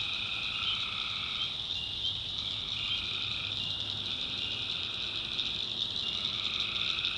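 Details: Tree frogs calling at night in the swampy backwoods of North Carolina: a dense, unbroken high-pitched trilling chorus, overlaid by steady mid-pitched tonal notes lasting one to two seconds that fade in and out.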